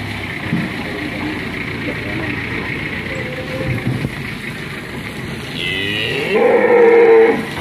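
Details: Large cattle at a livestock seller in Tempel, Sleman, Indonesia, one of three 'monster' cattle being delivered, loose from its rope, raging and nearly escaping; a short, loud, harmonic moo near the end over steady background hum and vehicle noise.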